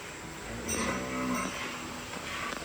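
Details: High-yielding modern dairy cow on a farm during milking; a short, low, tonal moo lasting under a second amid a loud, hissing indoor background, followed by men talking in Punjabi.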